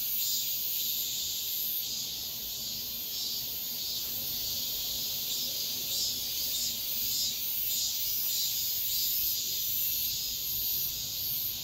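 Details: Cicadas singing at dawn in midsummer: a dense, shrill, high-pitched buzzing chorus that never stops, swelling in soft pulses a little faster than once per second, with no other clear sounds.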